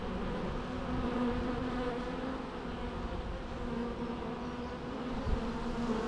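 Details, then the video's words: Bees humming continuously in a dense, even drone, steady in loudness throughout, with faint low background rumble and a single soft knock near the end. "natural bee sounds"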